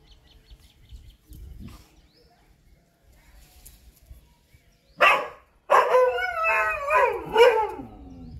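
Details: Chippiparai dog fighting monkeys: a loud harsh bark burst at five seconds, then a longer run of strained, falling barks and yelps around six to seven and a half seconds after quiet rustling.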